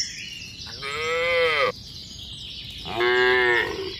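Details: Walking herd of tame cattle on a mining road toward a village: two sustained moos about two seconds apart, the first smooth and long, the second slightly shorter, with steady high-pitched background noise.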